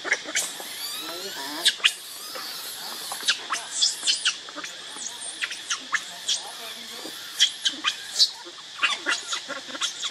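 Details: Baby monkey Leo, called Rainbow, hungry and crying to beg its mother for milk: sharp, high squeals and short shrill cries burst out irregularly, several per second at times, over a steady background hum of insects.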